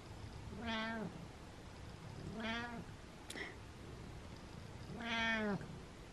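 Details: Three happy meows from Butters, a male house cat about to start thyroid medicine. Each is a clear, harmonic meow lasting about half a second, spaced roughly two seconds apart, with a faint click between the second and third.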